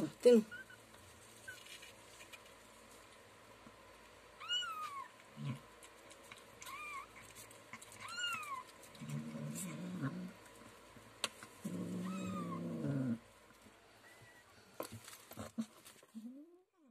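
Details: A hungry rescued mother cat being fed, giving several short rising-then-falling meows spread through the clip, with a person's voice and bursts of low rustling or handling noise between calls.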